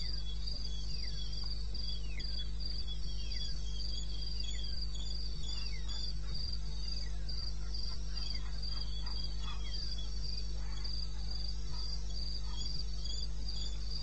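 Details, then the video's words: Crickets trilling at 02:30 at night on 21 May 16 in eastern Botswana wilderness: a high, continuous pulsed band with a series of quick descending chirps from other callers layered over it and a low steady hum. "1 Hour cricket sound"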